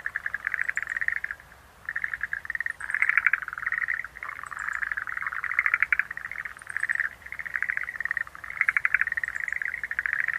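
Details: Schlegel's green tree frogs producing steady rattling, pulsed calls in long overlapping bouts, with occasional faint high chirps far in the background.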